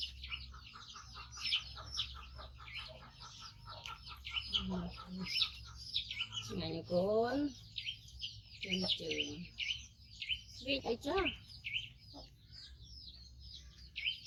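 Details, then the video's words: Rescued five-month-old baby monkey, missing one foot from a trap injury, calls loudly while waiting for its carer to feed it: shrill, rapidly repeated high squeals, with a person talking in Vietnamese between the bursts. "Cutie Monkey Koko Make Sound So Loudly During Waiting Mom For Eating"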